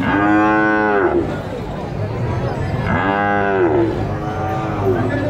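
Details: At El Tiangue livestock market in Nueva Guadalupe, El Salvador, a bull bellows two loud, rich moos about two seconds apart, each rising then sagging in pitch, against a low hum of market noise.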